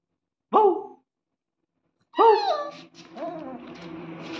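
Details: A German Shepherd puppy gives its first barks, two high yelps, followed by a person's voice.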